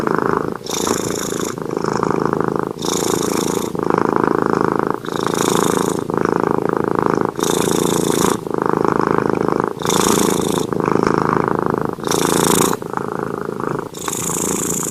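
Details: Junior the cat snoring in sleep, rhythmic and loud: gravelly vibrating inhales followed by short airy hisses, cycling about once a second without pause.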